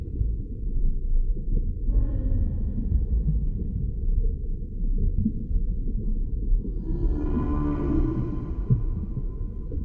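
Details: Humpback whale (Megaptera novaeangliae), song.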